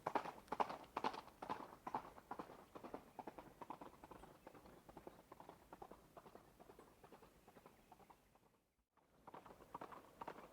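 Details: Running horse, its hooves drumming a steady clip-clop about twice per second. The beats fade and grow quieter midway, then break off in a brief silence before returning near the end.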